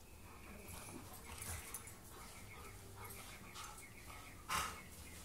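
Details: Dogs, a husky, a wolf hybrid and a pug, playing together: soft breathy panting and low scuffling, then one short, sharp bark-like burst near the end.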